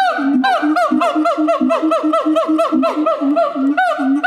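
A siamang gives loud, harmonic, honking barks, about two each second, in a steady throaty series.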